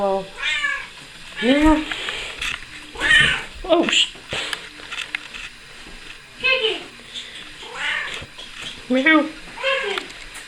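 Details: Domestic female cat riding on a person's shoulders indoors, giving a series of about eight short rising-falling meows at irregular intervals, interspersed with a woman's speech and coaxing.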